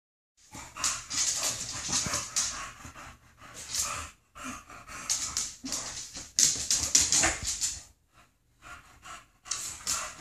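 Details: Two female English bulldogs playing, snorting and panting in noisy, hissing bursts with brief pauses; one wears a cone after surgery and the other doesn't know how to deal with it.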